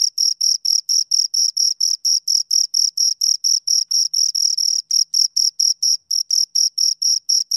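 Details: Steady high-pitched chirps from two crickets, brief rasping pulses about twice per second, with a couple of short gaps in the rhythm; quiet background.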